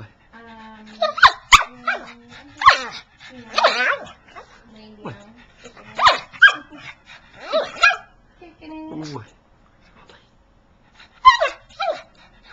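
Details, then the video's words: Pug 'talking' to its owner because it badly wants to play with its laser pointer: a run of grumbling, whiny, bark-like yowls in uneven bursts, then a pause and one final yowl, with human speech in the background. "Listen to this pug talking and play with a lazor pointer"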